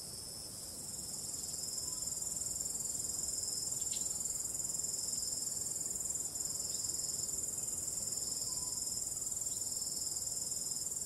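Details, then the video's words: Crickets calling at night, starry sky, calm wind: a high, sustained, ringing trill that swells in over the first second, with a couple of faint, short, lower tones in the background. "ambient relaxing cricket sound"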